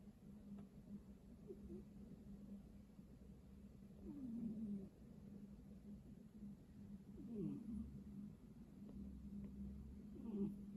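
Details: Sleeping domestic cat snoring: soft, low rasping breaths that swell and fall roughly every three seconds, each ending in a brief downward-sliding wheeze, over a constant low electrical hum indoors.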